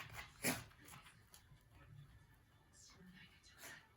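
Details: Kotaro, a male rescued Shiba Inu with pollen allergy, sneezes and reverse-sneezes over and over indoors: a loud, sharp snorting burst at the start, then several fainter, spaced snorts and huffs, with quiet human voices behind.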